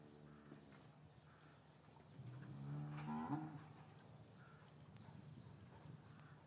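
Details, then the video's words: Winter afternoon in an English cattle yard, calves separated from their mothers: a cow gives a short lowing call that swells and climbs in pitch before breaking off, framed by fainter distant moos and a steady low hum. "4K Cattle Yard - One Hour Ambient Sound and Video"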